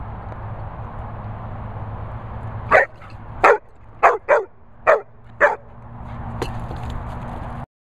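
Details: A Labrador barks in a quick run of six sharp, loud barks over about three seconds, then one more after a short pause. A steady low hum runs underneath throughout.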